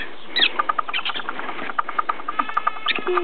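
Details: Black-tailed prairie dog in rut during the mating season at Blavand Minizoo, in a bad mood, giving a quick run of short clipped chirping pulses, roughly three to four per second, with a few higher squeaks mixed in.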